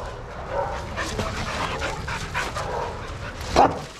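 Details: Several dogs playing in a shelter yard at Pima Animal Care Center, Arizona; a steady run of short, scattered barks and yips throughout, ending in one loud sharp bark, with busy background noise.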